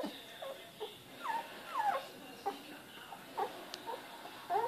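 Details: Australian Shepherd puppies, 19 days old, whimpering: a series of short high squeaky whines, several falling in pitch, spaced about half a second apart, over a quiet background.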